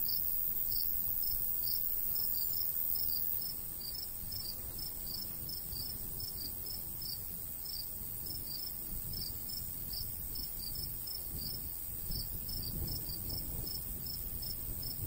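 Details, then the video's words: Natural cricket sounds from a summer wheat field in the countryside, a steady train of bright, high-pitched chirps a few per second, with a light breeze murmuring low underneath. "Countryside/cricket sounds"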